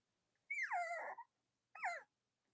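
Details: Cavalier King Charles Spaniel puppies in a litter room on a chilly late-October morning: a clear high whine that falls steeply and trails off, then a shorter falling yelp after a pause.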